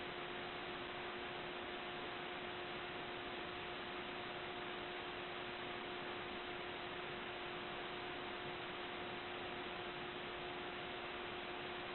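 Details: Steady broadband hiss with two constant electrical hum tones and no audible animal sound.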